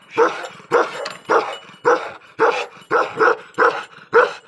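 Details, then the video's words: Angry Tibetan Mastiff guard dog giving repeated harsh, full-bodied barks at a fairly even pace near two per second, some barks paired. "angry himaliyan mastiff||indian best dog breed||Tibetan mastiff"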